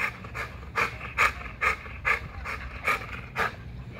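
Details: Spring pole exercise leaves an XL American Bully panting at Caona Bullys: rhythmic, rasping breaths, about eight in four seconds, each a loud airy puff with a slight voiced tone, over a low background drone.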